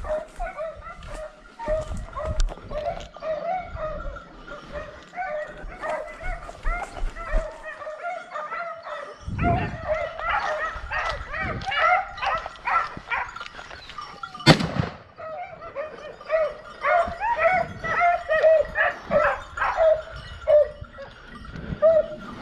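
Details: Hound pack in full cry on a wild boar montería: a steady mass of barks and yelps from several dogs, broken by sharp cracks and rustling in the undergrowth.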